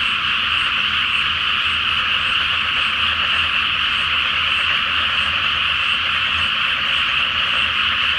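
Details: Many frogs sing together at night over a flooded rice field awaiting planting, with the full moon on the water; a thick, steady wall of overlapping croaks holds level throughout, with a soft low hum underneath.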